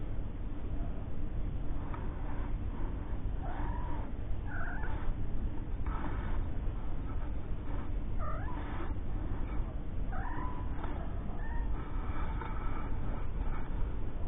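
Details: Three-week-old kittens with their mother Lucy, a cat taken in after being found living under a caravan, who later gave birth to four kittens; several short, thin meows rise and fall at irregular intervals over a constant hiss.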